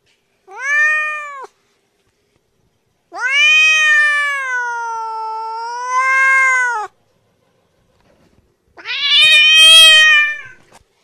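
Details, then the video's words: House cat giving three meows: a short one, then a long wavering meow lasting nearly four seconds that dips and rises, then a strained, rougher meow after a pause. "Мяуканье Кошки"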